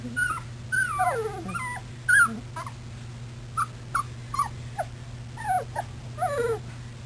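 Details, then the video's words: Several puppies milling about, 24 February 2010: frequent wavering, downward-sliding whines and short squeaky yips, overlapping at times, with a constant low electrical hum underneath. "puppies milling about"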